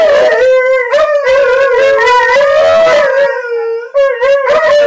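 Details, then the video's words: Duet between a young Alaskan Malamute, seven months old, and an eight-year-old Husky, Chow, Wolf and Shepherd mix, singing and talking back and forth: continuous loud wavering howls with bending pitch and strong overtones. "Alaskan Malamute and Husky Mix Singing"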